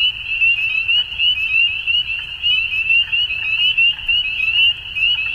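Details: Chorus of frogs at dusk, many voices merging into a steady, shrill trill that rises and falls in short bursts, over a soft low background hum.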